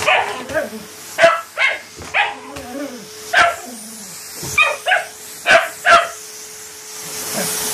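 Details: Patterdale Terrier playing fetch, barking repeatedly in short bright bursts, roughly one every half second to second, while a low voice murmurs between barks and a constant tone hums in the background.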